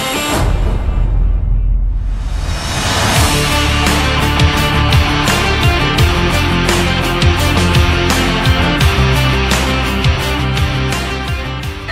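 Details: Loud, heavy rock music with driving drums and distorted guitar fills the whole clip, with no animal voice heard.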